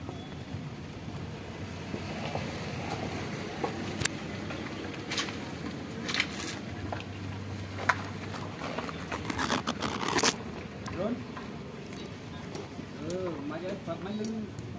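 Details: Hungry stray mother cat living at a pagoda, eating food she was given; a few short, arched meows come near the end amid steady traffic rumble, clattering and occasional voices.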